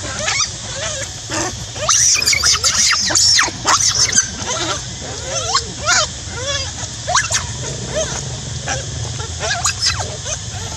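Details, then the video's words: A monkey screaming loudly: shrill, wavering squeals that rise and fall, coming in rapid bursts over a constant hiss, while people talk nearby. "terrify screaming loudly !! Monkey shouting loudly make me so frighten, Very strange sound never"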